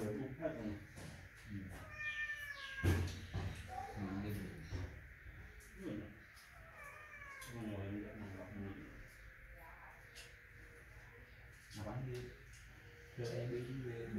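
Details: A tiny kitten named Pudding crying, giving repeated short high meows, some with rising and falling harmonics, scattered across the recording over a steady background hum and low rumbling noises.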